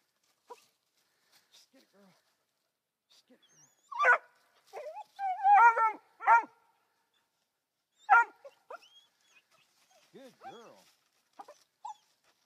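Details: Young female Black and Tan Coonhound, three months old, treeing her first raccoon; scattered high yelping barks in bursts, the loudest near the middle, with quiet gaps and faint encouraging human voice between.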